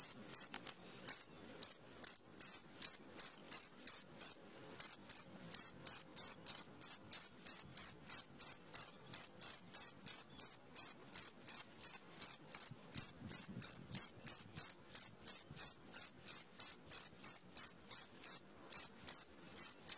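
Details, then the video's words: A cricket chirps steadily at midnight, short high trills repeating about three times a second; cricket. "SUARA JANGKRIK TENGAH MALAM 10 Menit"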